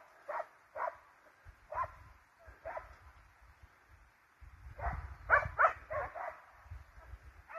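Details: Hounds and Russo-European Laikas in pursuit of a wild boar: distant, rapid yelping barks from several dogs in irregular bursts, over low rustling and thumping noise nearby.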